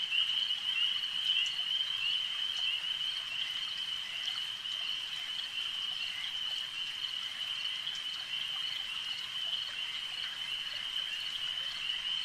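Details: Frogs at a lake keep up a steady high trilling chorus with no pauses, faint pulses repeating about twice per second inside the ringing wall of sound.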